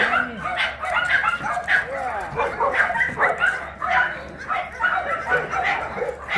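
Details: Shelter dogs, large dogs at an abandoned-dog shelter in Yangsan, South Korea, during exercise time, described as shy with strangers; repeated short barks and yips from several dogs overlapping throughout, with human voices mixed in.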